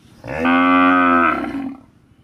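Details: Bull moo recorded on CCTV at a farm cattle shed, a single loud drawn-out low moo with a steady tone lasting about one second, then fading.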